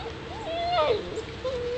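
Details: A single drawn-out whine from seven-week-old Alaskan Malamute pups of Daphne and Deuce, rising and sliding down in a smooth, howl-like sweep, followed by a softer trailing tone.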